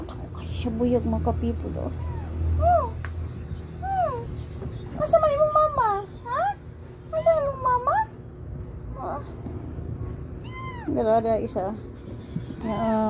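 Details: Three little kittens mewing: high, thin, arched cries that rise and fall, several in quick runs between pauses, overlapped by people chatting and snatches of background music.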